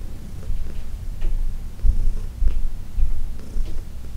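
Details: Heidi, an older female house cat adopted from the Humane Society of New York City, purring loudly under massage, June 17, 2021. A pulsing low rumble, rising in strength in bursts roughly twice a second.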